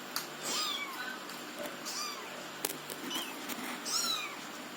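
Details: Orange local kitten learning to walk, giving thin high meows that rise and then fall, three clear calls about two seconds apart, over steady background hiss and a few clicks.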